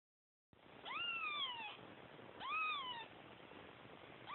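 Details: Kittens crying for their mother: two high, arched meows, each rising then sliding down, about 1.5 seconds apart, over a steady background hiss.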